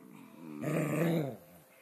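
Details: Scottish Terriers wrestling in play give one drawn-out low growl of just over half a second, starting abruptly and fading, with a quiet indoor background.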